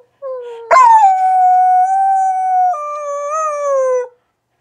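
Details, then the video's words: Rat Terrier crossed with Australian Shepherd gives a single long howl, starting with a sharp rise, holding level for about two seconds, then dropping a step and wavering slightly before trailing off. "Rat terrier Aussie mix howling"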